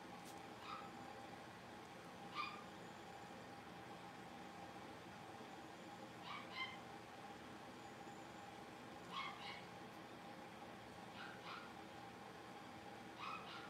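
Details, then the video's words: Five young blenheim Cavalier King Charles Spaniel puppies in an indoor puppy pen give sparse, sharp little yips every few seconds during play, over a steady droning household hum. "Cavalier Puppies Livestream: Playing, Barking, and Learning"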